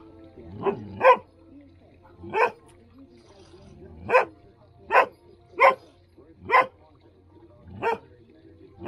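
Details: Standard poodles barking while playing in water on a hot day in Ketchum, Idaho: single loud, sharp barks about once a second, some preceded by a soft lower grunt, over a faint low hum.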